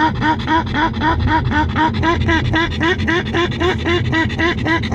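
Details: Over-excited pug Grimley riding in a cool car with the air con on, producing quick repeated honking, seal-like yelps near four per second over constant vehicle rumble.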